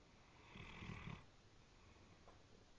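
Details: Sleeping brindle Great Dane snoring like a train: one rasping, gurgling snore of about a second with a low rumble and a hissy upper edge, then quiet breathing.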